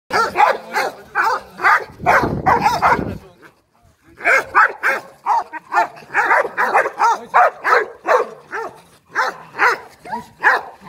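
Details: Trained Boerboel and Rottweiler guard dogs kept for home protection bark in rapid, harsh volleys about two or three per second, with a brief noisy burst and a short pause before the barking resumes steadily.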